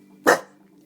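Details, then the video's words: Staffordshire Bull Terrier kept as a pet lets out one short, forceful bark with a quick decay, while its owner urges it to get someone. "Stafordshire Bull Terrior Barking"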